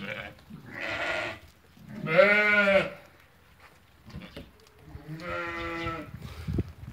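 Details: Bleating from ewes that have lambed, among 80 offered for sale at market in Fquih Ben Salah: three clear, quavering, nasal bleats, the middle one loudest, separated by short quiet gaps.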